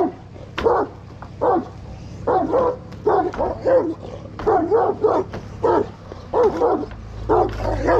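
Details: Kangal dog showing aggression, loud gruff barks in irregular clusters, some overlapping, with a low rumbling background noise.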